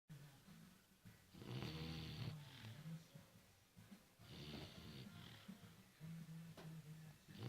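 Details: Four-month-old puppy snoring indoors: low, throaty rasping snores in uneven bursts with a humming lower tone, a loud long snore near the start followed by shorter softer ones.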